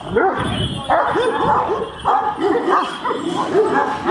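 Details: Several giant Kangal dogs barking aggressively at each other: a rapid run of loud, harsh, mid-pitched barks overlapping one another with hardly a pause, several dogs calling at once.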